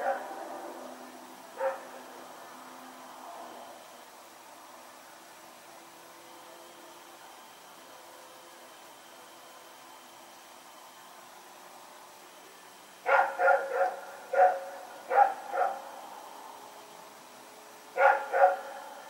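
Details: A dog named Rex, running around at night on Sep 21, 2018, gives a burst of sharp barks near the end: a single bark early, then a quick cluster of five or six barks, a pause, and another short pair, over low steady background hiss.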